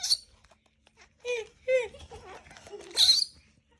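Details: A baby monkey that wants to hug a boy gives short, squeaky tonal calls that bend up and down in pitch.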